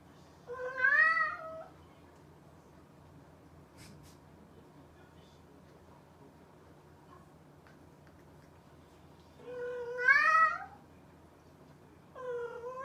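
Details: A mischievous domestic cat meows twice, about nine seconds apart. Each call is a drawn-out rising then falling cry, with a third meow just starting at the end over a low steady hum.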